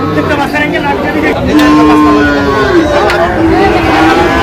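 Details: Sahiwal cattle, bull calves at a farmer's purchase in Chuadanga, Bangladesh, 19 August 2025: a long, steady, low moo that holds its pitch for about three seconds and bends slightly at the end, with human voices and traffic behind.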